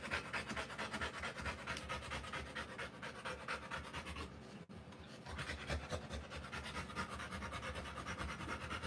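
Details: Rottweiler female panting while giving birth to puppies, indoors in dim light; fast, rhythmic breathy pants repeating roughly twice a second, with a brief pause near the middle.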